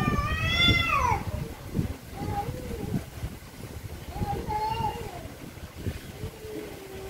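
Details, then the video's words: Very angry cats: one loud, shrill, harsh meow opens, followed by softer, shorter, wavering meows spaced a second or two apart over constant background rumble. "VERY ANGRY CATS||CAT MEOWING VERY LOUDLY"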